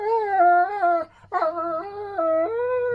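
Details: Dogs, with rottweiler, ridgeback and doberman named, vocalising to their owner as if telling him about the day: long, tonal, wavering howl-whines in two drawn-out phrases broken by a brief pause.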